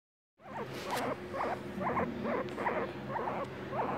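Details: Pet guinea pig squeaking in a steady series of short, wavering, warbled notes, about nine in under four seconds, each rising and falling, with a faint low hum in the background.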